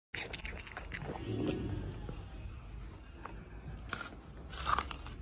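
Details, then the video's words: Red panda crunching an apple: sharp broadband bites and crunches, a few louder snaps near the end, over a soft low background. "Panda rosso sgranocchia una mela"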